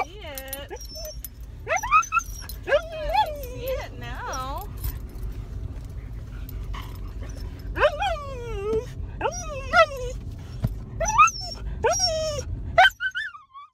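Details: Excited female dog reacting to the words "dog park" with loud, drawn-out whines and yelp-like cries that swoop up and down in pitch, coming in bursts every second or two, with a constant low hum behind.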